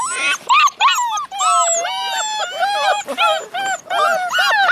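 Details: Alaskan Malamute puppies, litter of eight born February 2013, howling together: many overlapping high, wavering tonal cries with rising and falling pitch, nearly continuous over several seconds.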